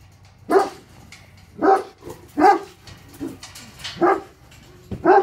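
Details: Tornjaks Hattori Hanzo and Leksi, Bosnian-Croatian livestock guardian dogs, barking at an intruder they want to attack: six deep, forceful barks spaced roughly a second apart, each a short loud burst over a quiet background.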